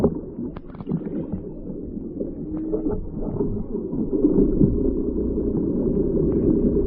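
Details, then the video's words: Whale call picked up by a hydrophone lowered into the ocean on a whale-watching trip off Maui: a thin tonal moan that rises and holds, with later steady tones, set against dense boat rumble and water noise. "listening for whales"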